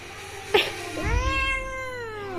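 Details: Angry pet cat protesting as its claws are trimmed, letting out a sustained, wavering meow that rises then gently falls, preceded by a sharp click, with a woman's voice talking soothingly in Bengali.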